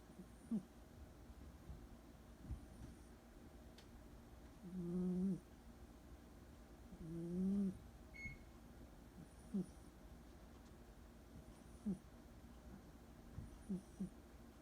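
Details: Sleeping orange tabby cat Joey, a rescued pet about two years old, snoring softly: low buzzy hums roughly every two to three seconds, two of them longer and louder, interspersed with faint short breath sounds in a quiet room.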